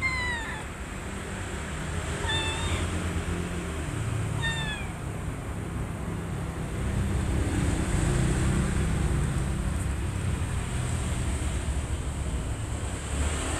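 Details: Mother cat with her kittens at a volunteer rescue playroom: three short, high meows about two seconds apart in the first five seconds, each sliding down in pitch, then only a constant low rumble and background hiss.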